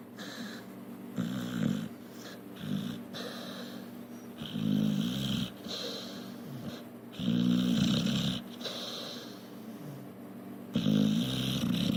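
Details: Tika, a female pit bull, asleep on a couch and dreaming, snores in rough rattling bursts, each breath a gritty low snore lasting about a second, repeated at irregular intervals with quieter breathing between.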